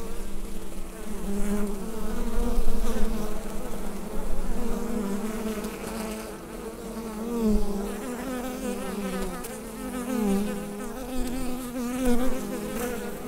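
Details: Buzzing bees in their hive, recorded with a Rode NT-USB microphone. A deep, constant drone whose loudness swells and eases in gentle waves, with occasional brief rising whines over the hum.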